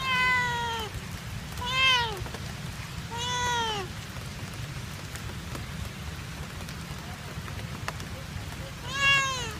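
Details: Domestic cat left behind by its owner at an ice cream stall in Kebun Raya Bogor, meowing sadly: four drawn-out, harmonic meows, each arching up then falling, spaced a few seconds apart over steady rain-like background noise.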